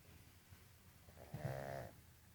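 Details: Sleeping Jug puppy Jazz gives one low, rattling snore near the end after faint, hushed breathing.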